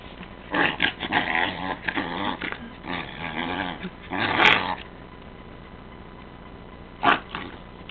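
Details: Pet dog being playful, giving a series of rough, throaty growling grumbles in uneven bursts over about five seconds, then a pause and one more short grumble near the end.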